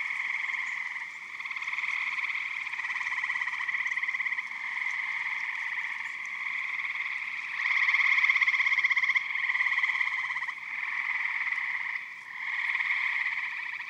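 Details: Chorus of eastern gray tree frogs at a Michigan vernal pond in spring or summer: many pulsed, buzzy trills overlap into a continuous drone that swells and dips as individual callers start and stop.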